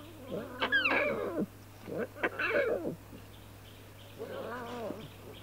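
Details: Playful young lions: arched, moaning mews that rise and fall in three bouts, with a low steady hum underneath.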